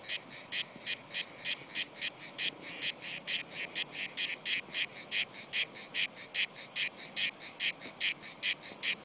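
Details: Cicadas singing on a trunk, unafraid of a close observer and edging downward: loud, strident buzzy bursts repeated about every 0.4 seconds, slightly uneven in spacing, with nothing else clearly audible.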